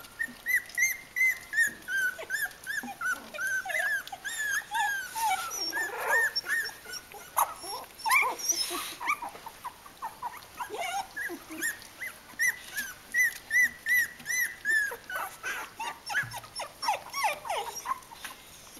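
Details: Three-week-old Kooikerhondje puppies of a litter, many voices together: a dense stream of high whimpers and squeaks at about 160 a minute, overlapping arched whines and a few lower grunts, indoors.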